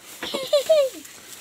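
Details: Newly born male goat kid on a backyard farm, the first birth for its mother, gives two short tonal bleats: a brief wavering note and a longer one falling at the end. A short burst of human voice comes just before.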